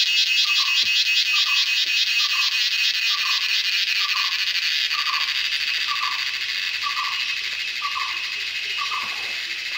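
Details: Steady, throbbing high-pitched cicada drone in a Western Ghats jungle during the Indian monsoon, with a lower short note repeating about twice per second beneath the continuous hum.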